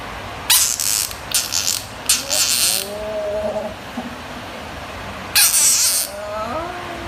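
A frog gives harsh, shrill screams in loud bursts, with a pause before the final cry.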